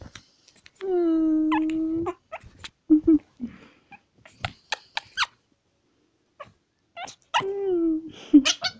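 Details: Young Pekingese giving a long steady whine of about a second, then scattered squeaks and clicks, and a second drawn-out whine near the end, with a person speaking softly.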